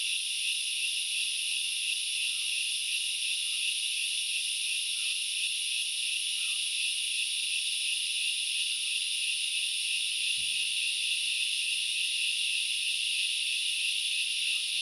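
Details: Forest grasshoppers at Knuckles Reserve in Sri Lanka's Central Highlands produce a constant high, rasping hiss, with scattered faint chirps beneath it and a single dull low knock about two-thirds of the way through.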